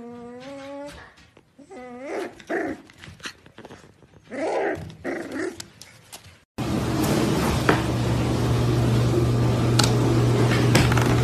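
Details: Pembroke Welsh Corgi puppies whimpering in clear, falling, tonal whines and short yips over the first half, after which a steady loud hiss and low hum take over.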